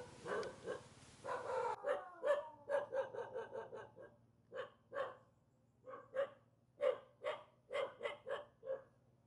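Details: Villagers' dog near a mountain, unhappy at meeting people, barks in a rough opening burst, then fires a long irregular series of short sharp barks, some in quick pairs, with brief quiet gaps.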